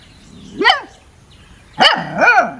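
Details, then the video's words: A puppy playing and sniffing outside gives three high, yappy barks, one alone and then a quick pair. "Puppy Barking 🐕 Puppy Funny Barking sounds 💤"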